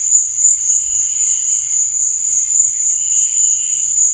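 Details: Night cricket chorus, one continuous high-pitched ringing trill with lower, gently wavering chirps beneath it throughout.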